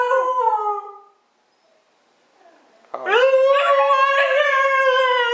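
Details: Siberian husky howling indoors: a short falling howl, a pause of near silence, then a loud, long, steady howl with wavering overtones continuing to the end.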